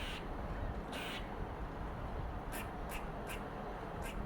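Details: A female pet red squirrel scolds in harsh, hissing, noisy bursts of chatter, spaced irregularly with a quick run of calls near the end, telling off other squirrels and marking territory over a low background rumble.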